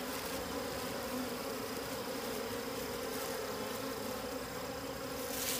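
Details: Bees around wild honey hidden in the wild make a thick, unbroken hum with layered tones, loud and constant, against a rushing noise backdrop.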